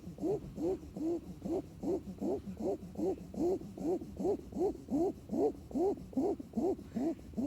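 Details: Puppy asleep and snoring, producing regular nasal squeaks that swoop up and down, about two and a half per second, evenly spaced over a quiet background.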